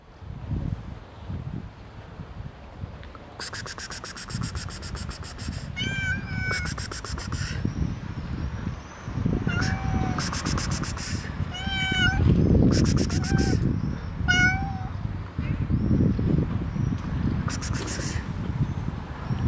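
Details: A friendly black cat and another unfriendly cat: several clear harmonic meows, some rising and falling, between bursts of broadband scratchy noise, with low rumbling handling sounds throughout.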